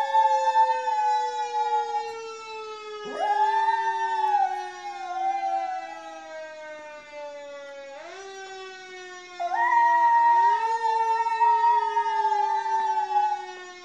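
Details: Howling along with a siren, Maizie the Miniature Schnauzer gives two long howls, each rising sharply then holding a wavering sustained note for several seconds, separated by a stretch where only the slowly falling siren tones continue.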